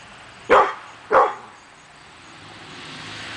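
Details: Male pit bull barking at nothing on a morning in August 2012: two sharp, loud barks about half a second apart, followed by quiet background hum.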